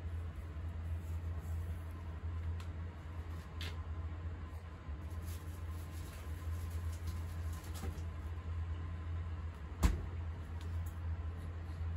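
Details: A steady low hum fills a small indoor room, with a few sharp clicks and knocks and no animal voice.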